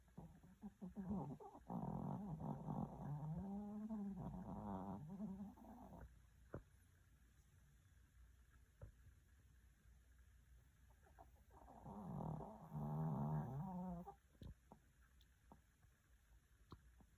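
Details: Sleeping dog snoring: long low, wavering, rattling inhalations in two bouts with a quiet stretch between, plus a few faint clicks in the background.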